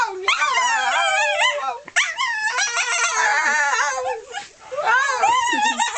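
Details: A pet dog named Molly makes her peculiar sound: drawn-out, howl-like wavering whines with quick pitch wobbles, broken by two brief quieter dips.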